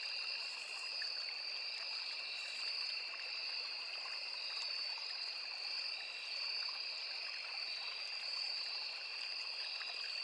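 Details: Crickets in a riverside forest produce a nonstop high-pitched trill, a sharper upper tone above a lower steady band, mixed with flowing, trickling stream water and faint scattered clicks.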